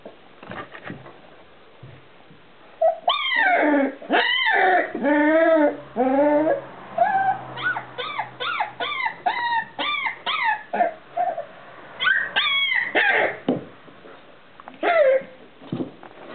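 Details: Four-week-old Irish terrier puppy whimpering: a run of high, wavering whines and short yelps, each bending up then down in pitch, coming roughly once a second after a quiet start, with brief pauses between bursts.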